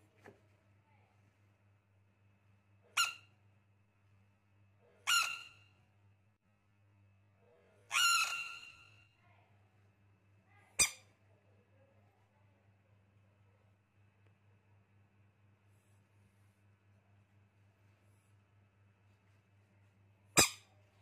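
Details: Baby rain frog producing a series of about six short, harsh squeaks and squawks at uneven intervals, some clicky and sharp, one longer and rasping, separated by quiet stretches with a low background hum.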